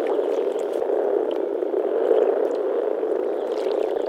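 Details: Male European common frogs (Rana temporaria) gathered to mate in a forest pond in early spring in the Czech Republic grumble through their vocal sacs: a dense, steady, low purring drone of overlapping grunts.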